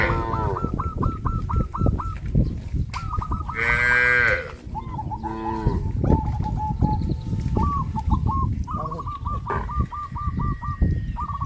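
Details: Village farm cows in a herd moving towards green grass fields: two short moos mid-clip. Steady, quick chirps from small birds repeat almost throughout, over low rumbling noise.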